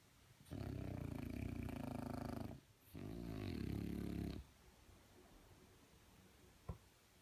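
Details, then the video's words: Sleeping French Bulldog giving two long, low, rattling snores of about two seconds each with a brief pause between, the second with a wavering throaty tone, then quiet apart from a small click. "Frenchie Snoring"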